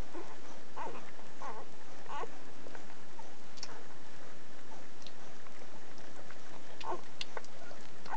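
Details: One-week-old Schapendoes pups give short, high squeaks and whimpers at irregular intervals, several in the first few seconds and more near the end, over soft rustling and patter.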